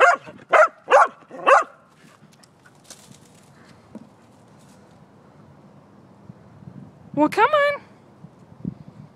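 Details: Pembroke Welsh corgi waiting to chase a disc during disc golf: four quick, sharp barks in a row, a quiet stretch, then a rising, whining yelp and a final short bark.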